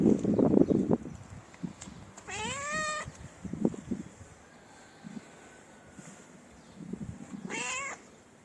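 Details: Stray cats in a Moroccan city, approaching for mating: two drawn-out rising meows, each nearly a second long, set among low thumps and street noise.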